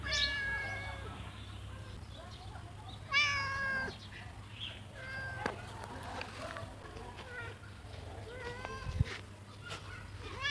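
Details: Cat meowing outdoors, a series of short, high, wavering meows, several close together, over steady low hum and scattered clicks and rustles.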